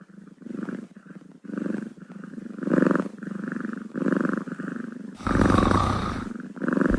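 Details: Kitten purring in a low vibrating rumble, breath-paced pulses roughly every second, with a loud burst of rustling noise near the end.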